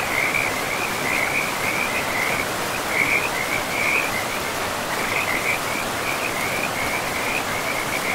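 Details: Frogs near a river deep in a moss-covered forest: repeated rattling high-pitched trills, close together through the whole stretch with slight pauses, set against broadband river rush.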